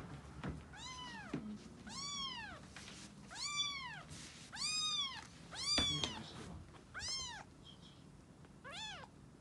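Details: Two-to-three-week-old rescued calico kitten meeting the resident black cat indoors, the pair turning friendly after hissing the day before; high arched meows repeat about once a second, seven or eight calls, each bending up then down.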